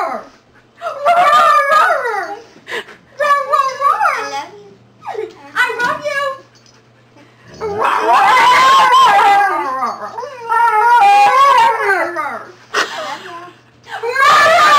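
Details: Siberian Husky available for adoption from a rescue, talking with a volunteer: repeated bursts of wavering, yodel-like howls and whines, each one to two seconds long, separated by short pauses, with the volunteer's voice in between.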